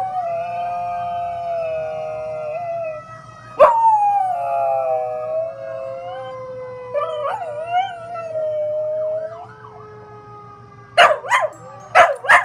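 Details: Rescue dog, an 11-month-old mix of chihuahua, pitbull, German shepherd, Jack Russell and rat terrier, howling daily: long sustained wavering notes sliding up and down, then a run of sharp yips near the end, with a steady siren-like tone underneath.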